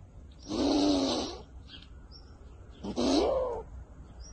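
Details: Sleeping squirrel snoring: two breathy, rasping snores about two and a half seconds apart, each lasting under a second, the second with a slight rising tone.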